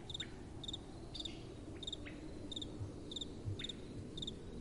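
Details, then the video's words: Crickets at night with soft wind blowing: high, shrill chirps in short pulsed bursts about twice a second, with a few faint rising whistles between them over a steady low rumble of wind. "Relaxing Night Time Sounds | Crickets & Soft Wind"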